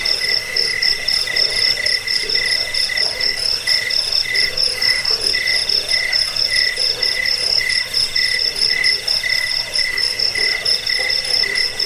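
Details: Cricket chirping continuously, offered as a recording for repelling rats, lulling to sleep and tutoring songbirds; bright pulsed chirps run at a steady fast pace, roughly two a second, over a softer low pulsing layer.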